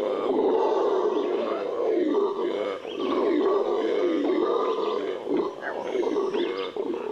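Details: Amazon howler, the Venezuelan red howler monkey, gives a loud, growling roar that rises and falls in waves, with short breaks near the middle and end.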